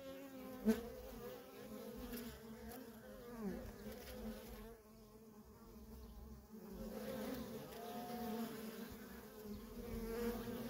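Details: Constant traffic of worker honey bees at a feral colony, giving a continuous low hum with layered harmonic bands; a single bee zips close early on, and the drone dips briefly quieter midway before swelling again.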